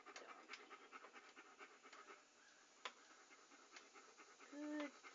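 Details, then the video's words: A dog panting in a relaxing ASMR recording: quick, breathy, hissing puffs in steady succession. It ends with a brief high whine-like tone. "A Panting Dog ASMR"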